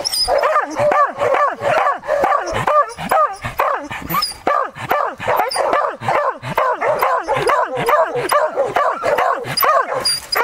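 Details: A Beagle (the dogs shown include Beagles and a Beagle-Harrier) holds a wild boar at bay, baying steadily with rapid, ringing, howl-like barks about twice a second.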